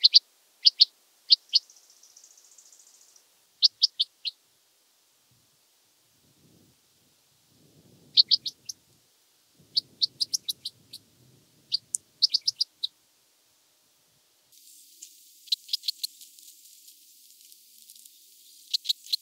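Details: Oedipoda germanica, red band-winged grasshopper, at Mörnsheim, Germany, 14 July 2023: high clicking bursts in groups of two to four, separated by silences, with a brief buzzy rattle and a denser scratchy run near the end.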